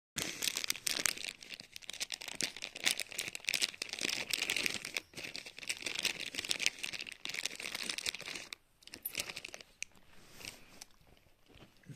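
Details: Crinkling and tearing of paper or plastic indoors, with no animal voice heard.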